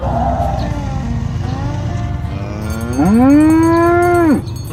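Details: Tame cows on a village road, herded to the pen in the morning; after soft background lowing and music, one cow lets out a single long moo that swells upward and holds before cutting off.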